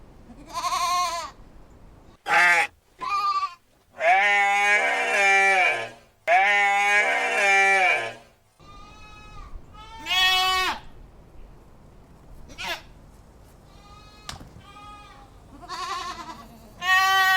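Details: Goats bleating in quick succession, long quavering bleats overlapping and varying in pitch, some high and strained, others lower and steadier, with short pauses between bursts.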